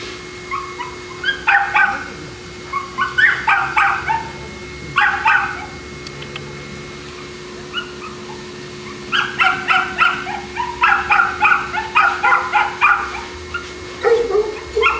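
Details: Boston Terrier dogs at the Perrera Jamundí kennel near Cali, Colombia, bark sharply in clustered bursts of two to five yaps, with pauses between volleys and a quieter stretch midway. A steady faint electrical hum runs underneath.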